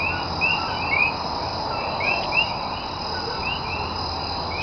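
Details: Common coquí frogs at night in Cayey, Puerto Rico, recorded 28 January 2010: scattered short, high, upward-sweeping chirps from several frogs overlap over a steady hum of background chorus.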